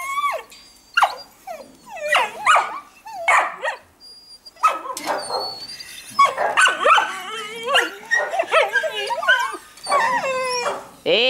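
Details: Samoyed puppies waiting to be fed fish, with their mother to be fed too; high squeaky yelps and whines rising and falling, several overlapping, coming in bursts with short pauses, a woman's voice speaking between them.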